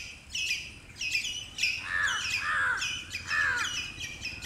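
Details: Squirrel; territorial call; defending territory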